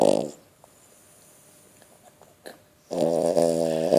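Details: An 11-month-old female French Bulldog snores in her sleep. A buzzy, rasping snore fades at the start, a long pause follows, then another loud, throaty snore begins.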